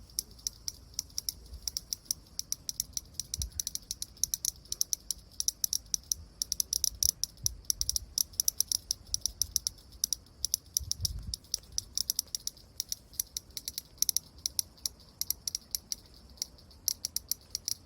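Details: Cicada rubbing its eye as it calls: a continuous high shrill buzz carries rapid, rattling clicks, sometimes in dense volleys and sometimes spaced out. A few dull low knocks come around three, eight and eleven seconds.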